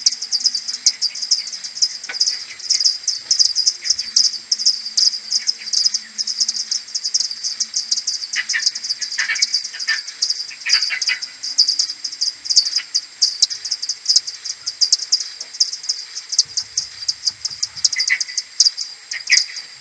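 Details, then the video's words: Maternity colony of common pipistrelle bats returning to the roost in the morning of 21 May, captured with an AudioMoth 1.1 at ten-times-slowed speed: a continuous crackle of many overlapping high pulses, with occasional lower chirps. "Colonie de maternité de Pipistrelle commune"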